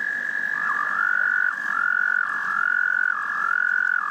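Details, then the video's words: Frogs singing a love song: a high continuous trill that dips briefly in pitch about once a second while another trill overlaps, giving a wavering, pulsing chorus over a soft low hiss. "Frogs Love Song"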